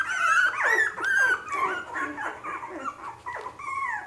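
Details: Litter of three-week-old Havanese puppies squealing together indoors: thin, wavering whines that bend up and down, tumbling over one another several times a second and barely pausing.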